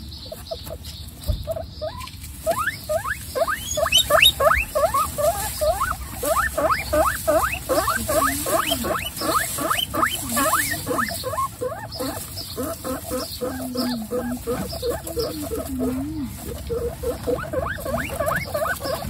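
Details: Guinea pig mother kept with her babies among a large indoor group; a dense, continuous chatter of quick rising squeaks, with softer low wavering murmurs mixed in, lasting throughout.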